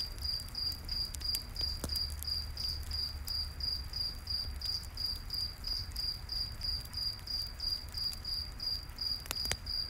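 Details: A campfire in a night forest with crickets: continuous bright chirps pulsing evenly about three per second, a low rushing rumble, and scattered crackles of the fire, a cluster near the end.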